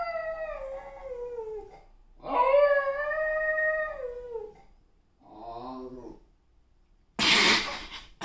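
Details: German Spitz (Canis familiaris), howl.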